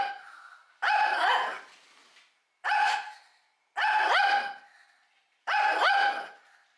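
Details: Threatening barks from a Shih Tzu that keeps barking at mealtime: four harsh, tonal barks spaced one to two seconds apart, each lasting about half a second and fading out, with no other sounds.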